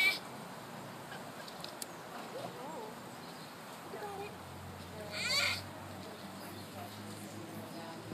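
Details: Baby sloth at playtime, exercising among other young sloths: quiet low murmuring sounds early on, then a single short, high, quavering squeal just past five seconds, over a constant background hiss.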